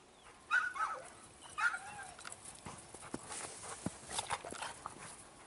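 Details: Doberman and Rottweiler playing together at the K-9 dog hotel, a Balkan dog centre; two short high whimpering yips near the start, then scuffling, thumps and clicking sounds of the play.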